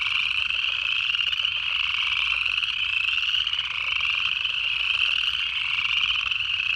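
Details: Native frogs in the Georgia Piedmont in January forming a dense, continuous chorus of overlapping high calls that slur slightly upward and repeat steadily, with no other clear sounds.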